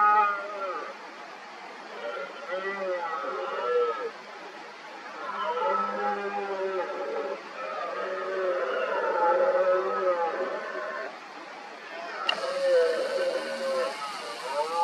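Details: Rival red deer stags roaring during the rut, a dominant stag with injured rear legs facing two huge challengers. Repeated deep, groaning bellows with arched, wavering pitch follow one another almost continuously, varying in loudness.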